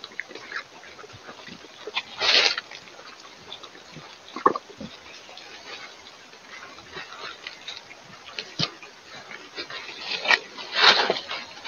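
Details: Wild boars in the evening, mud bathing: two harsh, noisy grunting bursts stand out, one near the start and a louder, longer one near the end, with scattered soft clicks and rustling between them.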